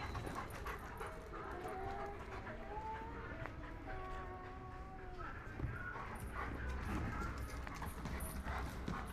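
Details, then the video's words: Three adult black German Shepherd dogs playing around together in March 2018, giving thin, high whining tones that glide up and down in short strands, over a steady low rumble and scuffling noise. "Black German Shepherds Playing Around. 3 Adult Black GSD Dogs having Fun."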